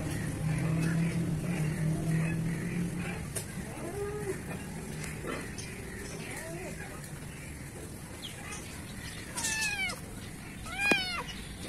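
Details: Black kitten in a garden in Pakistan, giving two sharp, high meows with bright stacked harmonics near the end, the second rising then falling steeply, over a steady low hum and faint background chatter.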